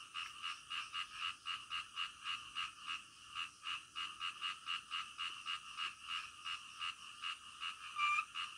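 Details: Frogs in the middle of the night, rhythmic croaks repeated roughly twice a second, each a short swelling pulse, with several callers overlapping and a slightly louder note near the end.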